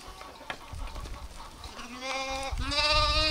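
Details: Sheep or lamb bleating: a low wavering bleat rising from quiet, then a louder, sustained harmonic bleat with a shaky quaver, over a murmuring rural background.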